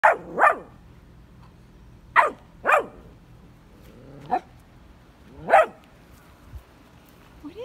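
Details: Vizsla puppy reacting to his first red ball in his digging area: six sharp, separate barks spaced irregularly over several seconds, with quiet pauses between and a faint human voice near the end.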